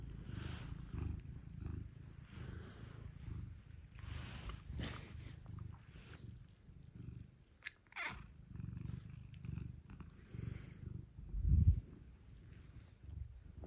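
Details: Steady low purring rumble from pet cats, a Scottish fold and British shorthair household, as they come to wake their owner early in the morning; soft rustling and brief thumps indoors, one louder knock near the end.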